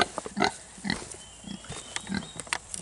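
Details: Two-week-old Kunekune piglets giving short, squeaky grunts in quick bursts, a few sharp harmonic squeals about every half second, with a faint high whine running behind them.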